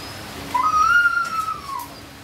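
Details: Siberian Husky during natural mating, giving one drawn-out, high whine that slides up, holds steady for about a second, then drops away. The background is otherwise quiet.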